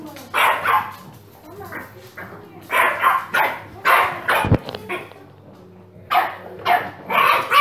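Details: Rough, full-bodied dog barks in short clusters of two or three, separated by quiet gaps, with a sharp click midway; from a compilation of funny dogs and puppies barking, against low background noise.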